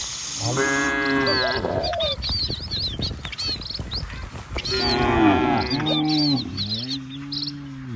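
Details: Herded cattle walking along a rural village road past rice fields and trees: repeated deep, drawn-out moos, some rising and others sinking at the end, coming in clusters. Small birds chirp busily above them, over a constant rushing background.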